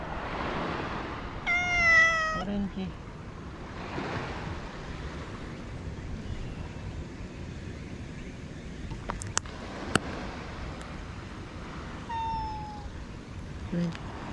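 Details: Japanese stray cats after a typhoon, near a shelter under a boat where Pink lives; two harmonic meows, one early and one near the end, a quiet voice calling names, sharp clicks midway, steady low background rumble.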